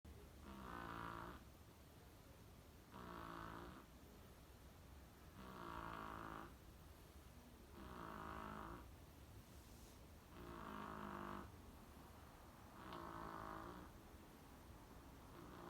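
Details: Sakura, a Chihuahua, sleeping soundly at home after a rabies vaccination, snores in slow, even breaths: six rasping, rumbling snores, each about a second long and spaced roughly every two and a half seconds, with quiet pauses between.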